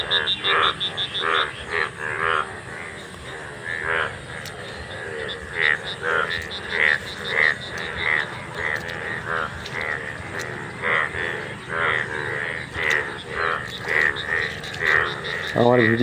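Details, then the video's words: Many golden frogs in a field in India, which appear once a year, croaking in a dense chorus; short harmonic croaks repeat irregularly throughout, with brief laughter-like bursts and a low thud at the end. "মাঠে সোনা ব্যাঙের ডাকাডাকি"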